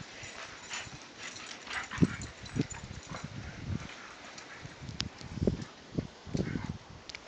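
An Alaskan Malamute gives low grumbling woofs and short vocal bursts, asking to play.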